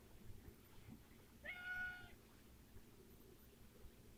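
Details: Cat giving one short, faint, nasal harmonic meow lasting about half a second over low background rumble, otherwise quiet room.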